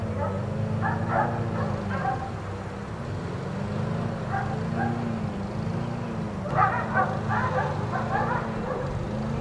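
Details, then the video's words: Outdoor dogs, four of them left out all day by neighbors, barking in rapid clusters of short yaps with gaps, partly masked by a continuous low humming drone. "4 Dogs Barking Allday"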